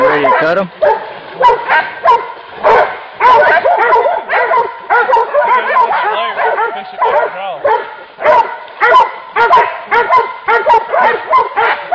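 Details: Hunting dogs on a wild boar hunt giving loud, rapid, overlapping barks in repeated bursts, with people talking in the background.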